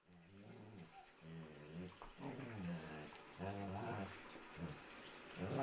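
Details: Indoors, a 3 lb Chihuahua puppy keeps pestering a German Shepherd that is trying to sleep; low, wavering, harmonic grumbles and moaning vocalizations come in repeated bursts of about one second, with some human voice mixed in.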